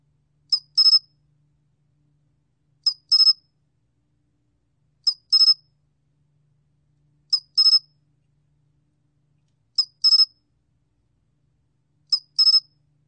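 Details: Sol-gwitturami, a Korean cricket, in a 2020 National Institute of Biological Resources recording, chirps steadily: six groups, each a lone short tick then three rapid shrill pulses, spaced about 2.3 seconds apart in quiet surroundings.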